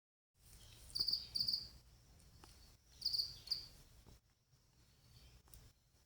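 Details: A pet female cricket's partner calls, giving two high, trilling chirps about two seconds apart, each made of a few quick pulses, over a faint low hum.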